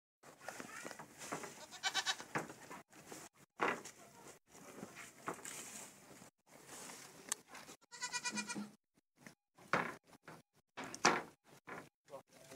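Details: Anglo-Nubian goat, also called kambing kacang, eating water spinach; short harmonic bleats near the start and a louder nasal bleat around eight seconds, amid chewing, rustling and crunching of leaves.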